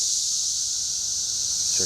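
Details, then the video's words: Cicada chorus at Schroeder Park, Ballwin, Missouri, an unbroken high-pitched hiss that keeps an even level, with a short burst of human speech near the close. "cicada time"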